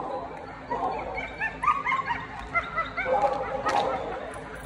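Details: Small dog giving a run of short, high, whining yips and whimpers in quick bursts, some rising and falling in pitch, over a steady low background hum.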